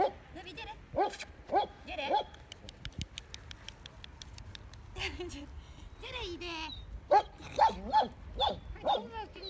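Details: German Shepherd Dog making high, bent yelping whines in short clusters of two or three, with quiet stretches, some clicks and a murmur of background noise between bursts.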